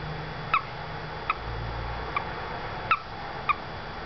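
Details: Five crisp, high peeps, each slightly falling, from a small male toad that ended up in a house window well with a quiet female, spaced about one second apart, with a faint low hum underneath.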